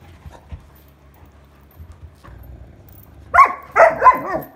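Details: Frustrated Irish Setter Sheyenne wanting her toy back, 21 August 2022: after soft thumps and near quiet, three loud, throaty, moaning barks with bending pitch come in quick succession near the end.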